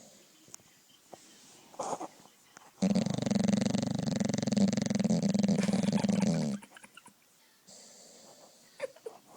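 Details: Dog asleep and snoring: faint rustles and taps, then a loud rasping snore made of rapid rattling pulses lasts about four seconds before dropping back to quiet indoor room sound with small knocks.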